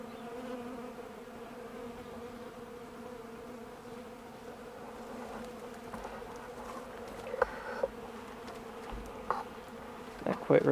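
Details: Many bees flying on a mild December day while cleaning up honey from extracting cappings; a continuous droning hum holds steady throughout, with a few clicks and a man's voice near the end.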